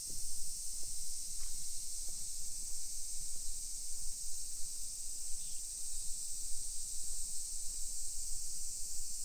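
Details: Summer cicadas in a modern hillside residential neighbourhood of Nisshin near Nagoya, Japan, at 1 PM on 28 July 2021, heard during a street walk: a steady, unbroken, high hissing drone with no pauses, over a soft low rumble of footsteps and outdoor noise.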